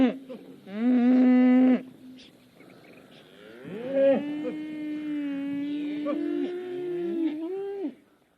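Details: Cattle on pasture mooing: a short loud low at the start, then after a quieter pause a long, steady, drawn-out moo held for about four seconds before fading.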